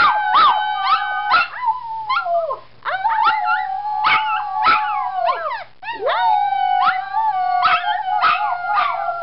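A Toy Poodle howls in long, wavering, high-pitched notes that rise and sag, joining in as people howl.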